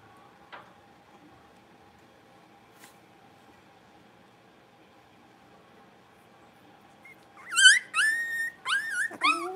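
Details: Blenheim Cavalier King Charles Spaniel puppies, part of a litter of five born at New Year, playing in an indoor puppy pen; near-silence for about seven seconds, then a burst of high, wavering yips and whines with rising and falling pitch.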